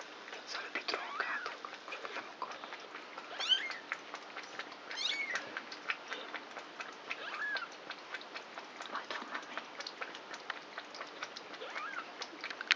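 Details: Four three-week-old kittens of the cat Krampus, born on 29 March, playing together at night indoors; short high meows rising and falling scattered among soft rustling and tapping of play, with a faint low hum beneath.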